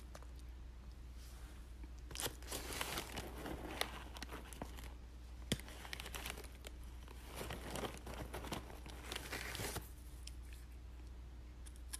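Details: Indoor snack time with a Shih Tzu: crinkling and tearing of a wrapper in bursts between two and ten seconds, with crunching and low room hum, and no barking or other animal voice.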